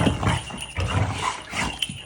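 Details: Two Great Danes, Gertrude (tan) and Edith (blue), play-wrestling and smack talking: low rumbling growls and grumbles in short bursts, with a person speaking briefly nearby.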